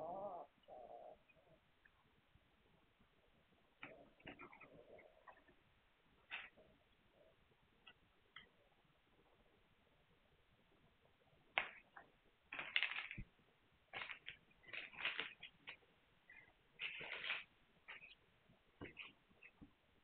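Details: Shrill, high squeaks and short squeals from Hungarian Vizsla puppies on 9 March 2021. They come sparsely at first, then cluster in a busier run of sharp cries during the second half.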